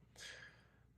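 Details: A 19-year-old female domestic cat snoozing on piled-up dog beds snores with a single breathy, hissing breath carrying a faint whistled wheeze; owners suspect her loud, distinctive snore stems from smoke inhalation damage.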